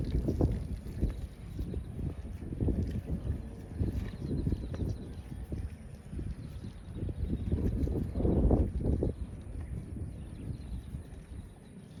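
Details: Steady low wind rumble and buffeting with no animal calls heard.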